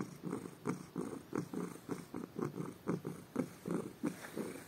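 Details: Domestic cat purring loudly in the morning while having its ears rubbed, a steady rhythmic purr pulsing in soft bursts about three times a second, indoors and quiet.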